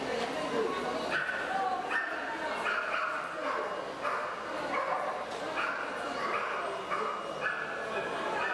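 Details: English Cocker Spaniels, reds, at a club show in Ercolano on 5 May 2018; short harmonic barks or yelps repeat roughly every second, some in quick pairs, over steady crowd chatter and voices.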